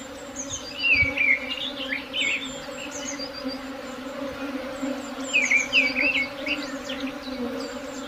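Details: Swarm buzzing as a steady, low, droning hum that holds an even pitch throughout, with bright chirping bird calls breaking through above it, mostly near the start and again after five seconds.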